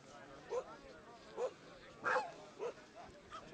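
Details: Black Brussels Griffon dogs, named Tattoo, Akasha, Cool and Coco, give short yipping barks, about five bursts spaced irregularly across a few seconds, with faint background noise.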